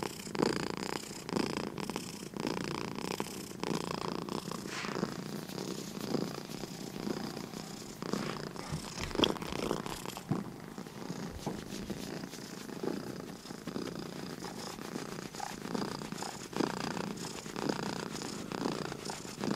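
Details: Purring from sleepy house cats indoors, a continuous low rough rumble with fine rapid pulses, rising and falling gently with each breath across the whole stretch.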